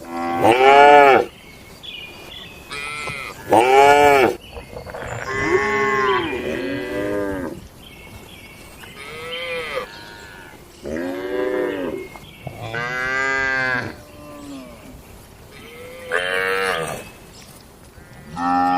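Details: Cattle in a traditional village shed at night, lowing repeatedly: a series of loud, harmonic moos, some rising and falling, roughly every three seconds, with quieter higher calls in between.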